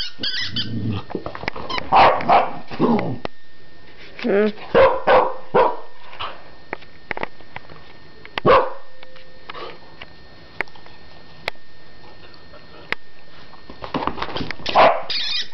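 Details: Keeshond named Sulo barking in a house alongside Titta the border collie and a wheezy toy; loud, clipped barks come in scattered bursts and clusters, separated by quiet gaps, with human voices and handling noises in between.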